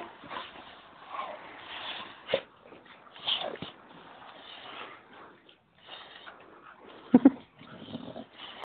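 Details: An Old English Bulldog makes snorty, wheezing vocal sounds meant as saying "Mama," with a couple of sharper yelps near the end.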